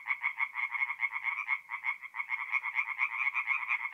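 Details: Night chorus of tree frogs at a forest pond in north-east Italy, mid-April: continuous rasping, pulsed croaks from several frogs, briefly dipping after a second and a half before resuming as strongly.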